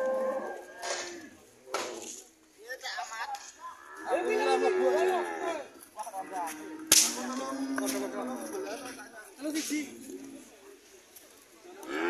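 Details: Red cattle coming home: several drawn-out, harmonic moos with rising and falling pitch, overlapping one another, mixed with sharp whip-like cracks, a loud snap near the middle, and human voices in the background.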